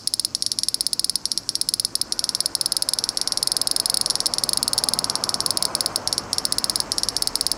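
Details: Cicada in Fukuoka, Japan, giving a dense, rapid train of sharp ticking pulses, high-pitched with bright upper bands, steady and unbroken throughout, over a faint low hiss of background.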